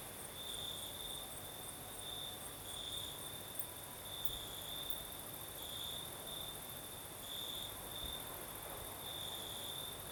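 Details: Night in southern Crimea, crickets chorusing: a high trilled tone swelling and fading in rhythmic bursts about every couple of seconds, beneath a faint sighing breeze.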